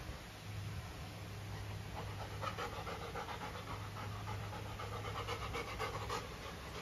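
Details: Female golden retriever at home with a new chew toy, a carabao horn: fast, rhythmic breathy panting, roughly four pants a second, steady throughout, over a low constant hum.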